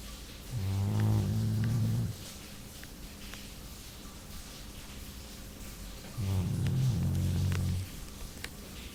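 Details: Jully the Labrador, asleep, makes two rough, rattling snores, each about one and a half seconds long and about five and a half seconds apart, with quiet breathing gaps between them.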